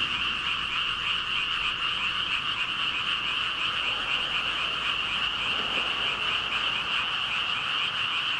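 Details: A dense chorus of thousands of frogs, stated as about 5,000 calling together: a continuous wall of overlapping croaks concentrated in a bright high band, steady throughout with no gaps and no other clear sounds.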